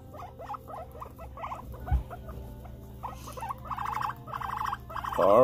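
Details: Pet guinea pig indoors around nail clipping, giving runs of short pulsed chirping notes in quick series that grow louder near the end, ending in a brief rising squeal, with a low steady room hum.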